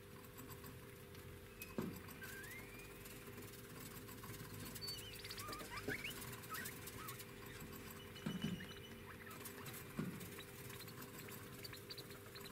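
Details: Degus, eleven months old, the female with white markings, calling while grooming; a few soft, brief rising chirps and short squeaks scattered over the clip, with light clicks and rustling against a steady low hum.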